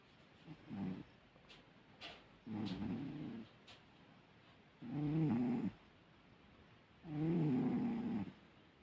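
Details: A sleeping cat snores loudly, with rough, buzzy breaths in bursts of under a second, about every two seconds, the later ones louder and longer; faint clicks in between.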